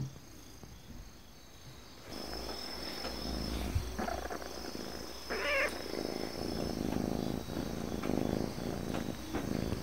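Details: Affectionate, dog-like calico cat purring: after about two quiet seconds a steady, low, rumbling purr sets in and continues to the end, with a brief higher rustling sound midway.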